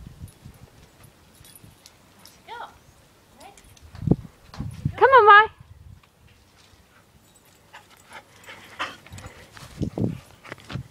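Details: Puppies Max and Maya running round a garden; one loud, bright yelp with a wavering, arched pitch rises above soft thuds and rustling. A fainter, shorter cry comes earlier. A person calls encouragement in between.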